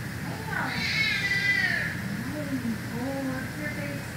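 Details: Simba, a savannah cat at Big Cat Rescue, gives a long, high meow that slides slightly downward in pitch, followed by softer, lower murmured tones, while a person talks throughout.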